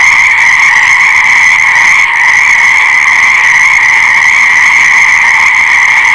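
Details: Continuous massed frog calling, a loud even buzz-trill holding steady throughout, with only a brief faint click near the two-second mark; no other animals or voices.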